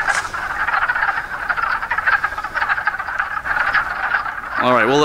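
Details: A dense chorus of wood frogs at a pond beside the Appalachian Trail near Fort Northkill, Pennsylvania, gives overlapping low clucking, duck-like croaks that run together continuously, with some splashing in the water.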